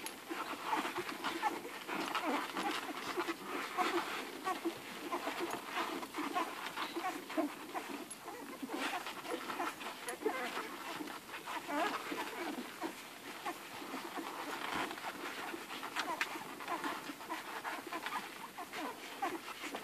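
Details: A crowded litter of eleven hungry Irish Red and White Setter puppies nursing from Ruby. Steady smacking and suckling noise carries throughout, with occasional small whines and panting breaths.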